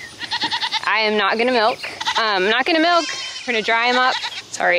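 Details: Weaning baby goats cry out in long, arched bleats that rise and then fall, with a trembling tone. The loud calls repeat roughly every second, and speech can be heard between them.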